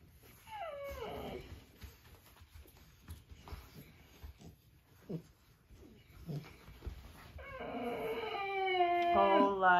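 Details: American Bulldog puppy at indoor playtime with a littermate, one of two pups born August 15 to Mr. Lucky and Abby, crying to come and play. A falling whine at the start, then a long, wavering, rising-and-falling cry over scuffling sounds.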